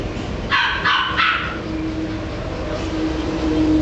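A corgi gives three quick, sharp barks in a row over a low background rumble.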